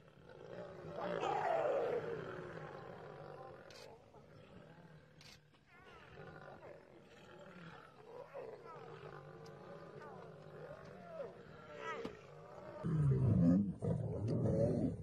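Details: Lions fighting, a female attacking and biting a male: rough, wavering growls and snarls with shifting tones, rising and falling irregularly, ending in a louder, deeper burst of snarling near the close.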